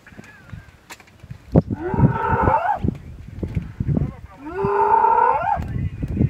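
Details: A sub-adult spotted hyena trapped inside an elephant carcass in the Mara Triangle, Maasai Mara, on 10 March 2022, harassed by lions, gives two drawn-out, wailing howls of terror, each swooping upward at the end.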